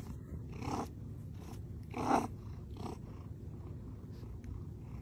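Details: Hungry domestic cat giving three short, rough, breathy meow-like bursts, the middle one loudest, spaced about a second apart over a steady low purring rumble.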